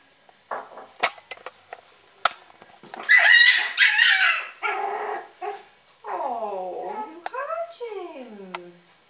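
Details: Puppies eating cat food indoors: loud sharp yelps and clicks at first, a burst of harsh noisy squealing, then rising and falling whining cries with clear harmonics near the end.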